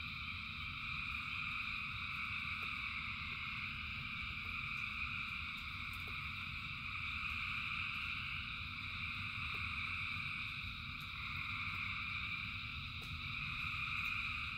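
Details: Thousands of frogs calling in rain form a dense, continuous chorus of overlapping trills in three steady high bands, with a low rumbling wash of rainfall beneath and occasional faint clicks.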